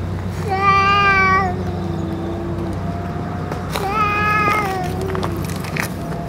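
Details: Two long meows from a stray boss cat that has just eaten food and medicine, the first sliding down and trailing off, the second shorter; a constant low hum runs beneath.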